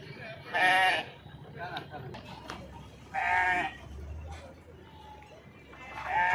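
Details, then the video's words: Sheep unloaded at the Pebbair market give loud trembling bleats about every two to three seconds, each a short harmonic quaver, with people talking and crowd noise between calls. "sheeps beautiful sounds"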